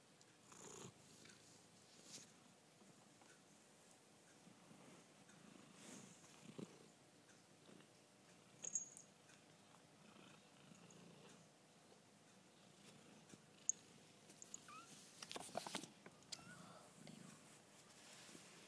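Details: Pet cats, a Chartreux and a Persian Chinchilla, kept indoors; soft, low rumbling purr pulses run steadily throughout, with occasional faint clicks and brief rustling noises.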